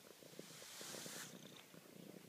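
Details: Low rhythmic purring from Bella Luna, a pet cat showing affection, with evenly spaced pulses under a rushing hiss that swells and fades in the middle.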